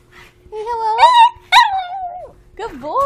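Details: Pet dog prompted by its owner to say hello, answering with drawn-out, rising and falling whining howls in three bursts; the owner's voice coaxes it between calls.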